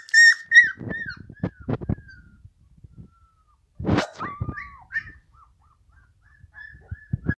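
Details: Pit Bulls whimpering in thin, high, drawn-out whines with falling and wavering tones, interspersed with soft thumps and scuffling knocks and one loud rustle midway.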